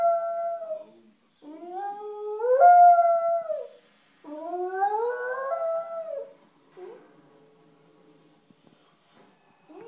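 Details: A lonely West Highland White Terrier howling indoors: three long, rising-then-falling wails with clear tones, each two to three seconds long, followed by softer whimpering notes.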